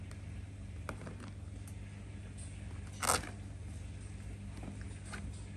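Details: Steady low hum fills the room, broken by scattered soft clicks and one brief rustling burst, with no animal voice heard.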